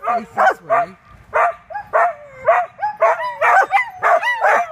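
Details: Two dogs howling together while a third is lively, about 4.8 seconds of overlapping wavering howls and yelps, each rising then sliding down, repeated roughly once a second with short gaps.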